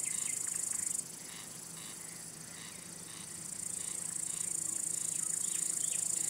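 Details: Male cricket singing by rubbing its wings to attract or court females or scare off rival males: a steady, very high shrill buzz that dips after the first second and swells back near the fourth, with faint scattered chirps underneath.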